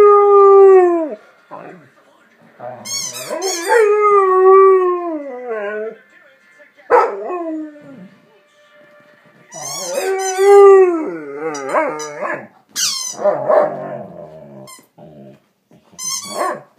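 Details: A pet dog howling while chewing on a dog toy. Several wavering, tonal howls that bend up and down, broken by short pauses, with a few high squeaky yelps mixed in.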